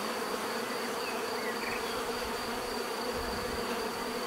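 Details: Bees buzzing as a steady, dense drone with banded hum around the low-middle range and a thin high whine, continuous throughout, with a few faint bird chirps above.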